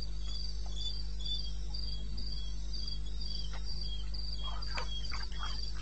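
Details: Crickets chirping at night in the eastern Botswana wilderness, recorded 21 May 2016 at 02:30: a fast, regular series of high chirps with a lower, weaker caller alternating, a few faint clicks and a continuous low hum beneath.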